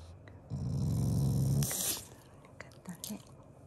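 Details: Affectionate, not angry growl from a pet Shiba Inu at mealtime: a single low, pulsing rumble lasting about a second, followed by faint rustling and small clicks indoors.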